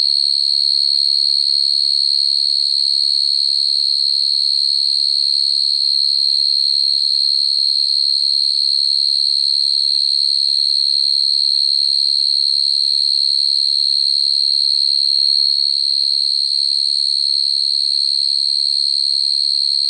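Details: Male crickets calling females at night, recorded for use in cricket trapping; a long, even, metallic high-pitched ring continues without pause or change for the full stretch, with almost nothing else audible.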